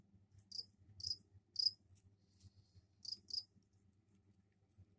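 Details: Male crickets kept in a container indoors, given soil for egg-laying, chirping as a mating call; a few sharp high chirps spaced irregularly over a faint low background hum.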